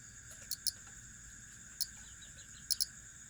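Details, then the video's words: Cricket giving sparse, high, clicking chirps, single or paired pulses at irregular intervals, against a constant shrill insect hum and a faint lower drone. "Suara asli jangkrik"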